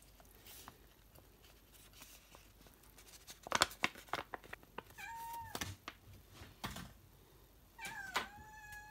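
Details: Pet cat at home after a damp day out, waiting for a dinner of chicken broth in brown rice: two short meows near the end, amid clicks, rustling and handling noises in a small room.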